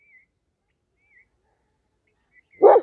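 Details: A German Shepherd guarding its owner from strangers gives one short, loud bark at the very end, after near silence broken only by a few faint, thin whistled chirps.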